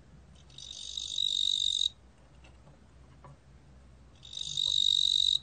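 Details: A ttungbo-gwitturami cricket (Korean name) gives two sustained, high, buzzy trills, each lasting over a second, with a pause between.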